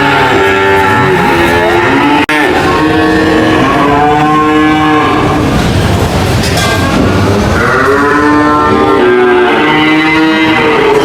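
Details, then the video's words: Cows mooing in overlapping, drawn-out harmonic lows that swell and fade continuously across the stretch, with a sharp click near two seconds and a dense background din. "cow mooing sound"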